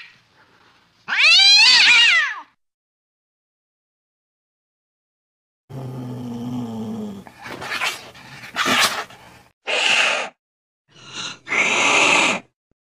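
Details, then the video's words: One loud wavering cat meow, played to drive off mice, followed after a silence by rough low grumbling and a series of short harsh noisy bursts. "Tiếng mèo kêu đuổi chuột"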